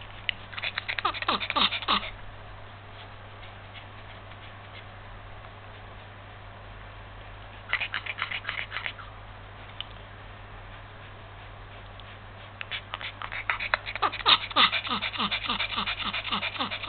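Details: Yorkshire Terrier suffering heat stroke in February 2015, breathing in bursts of quick raspy panting strokes, several per second, separated by quieter stretches, with faint background noise.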